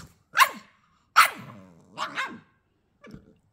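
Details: Female Staffordshire Bull Terrier pup, twelve weeks old, answering back while scolded: two sharp yapping barks about a second apart, a drawn-out double yowl, then a faint short yip; a person's voice intervenes.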